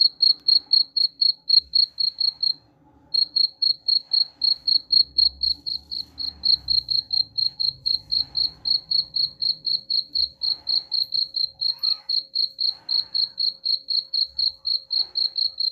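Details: Rhythmic high-pitched cricket chirps, used to repel rats, about four pulses per second over sixteen seconds with a short gap early on; faint murmuring and low rumble in the background.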